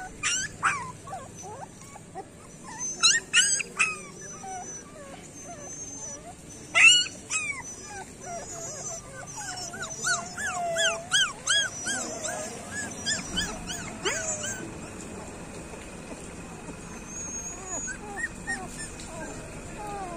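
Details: Several street puppies crying together, a dense run of high wavering whimpers and squeaks over twenty seconds, loudest early on and fading to scattered soft whines later.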